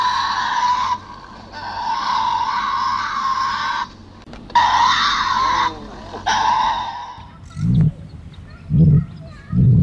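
A Tasmanian devil gives long, harsh, raspy screams lasting up to three seconds each, then deep throaty grunts in short bursts about once a second.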